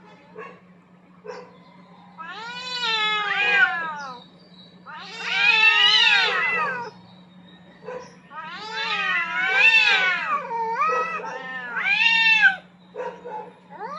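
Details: Two aggressive cats squaring off for dominance across a rooftop arena: repeated long, loud, wobbling yowls in bursts a couple of seconds each, interspersed with brief quiet growly notes, over a persistent low hum.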